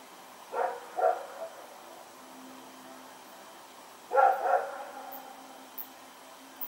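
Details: At night on September 21, 2018, Rex the dog runs about barking: two paired bursts, a double bark near the start and a louder double bark three and a half seconds later, against a quiet low hum.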